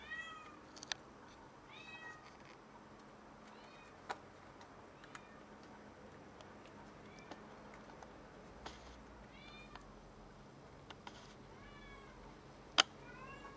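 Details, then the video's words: A cat brags about the rat it caught, meowing again and again: arched, harmonic calls repeating every second or two throughout, with sharp clicks and knocks between them. "Cat caught a rat and brought it to brag about it!"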